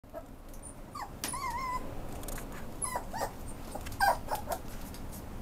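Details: Italian Greyhound at a pet shop rehoming dogs to new adoptive owners, giving a few short, high, whining whimpers, one drawn out with a wavering tone, among light clicks and taps and steady indoor room noise.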